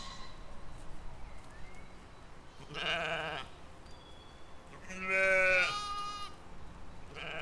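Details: Sheep and lambs grazing in a field, filmed in spring 2020: two harmonic, wavering bleats, the second louder and more nasal, over a quiet background with faint distant bird calls.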